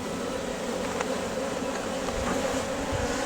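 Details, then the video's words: Bees at Valderejo nature reserve, a steady low droning hum with layered buzzing tones that holds evenly throughout, with faint scattered clicks and no other clear sounds. "Erleak Valderejoko parke naturalean / Bees at Valderejo nature reserve"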